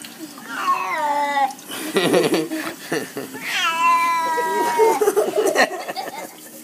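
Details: Pet cat refusing a bath indoors gives two drawn-out, falling, complaining meows about three seconds apart, with a person talking to it in between.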